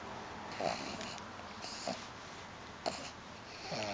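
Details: Lou the pug grunting: three short, breathy snorting grunts, about a second apart, over a steady background hiss.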